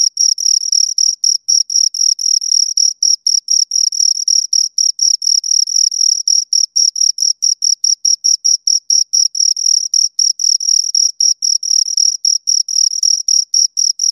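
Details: Two crickets keep up a continuous train of sharp, high chirps around four per second, slightly uneven in spacing, thin metallic tone with a fainter higher harmonic, nothing else audible.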